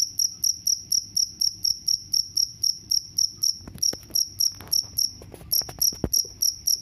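A cricket chirps steadily, shrill high pulses repeating about four times each second.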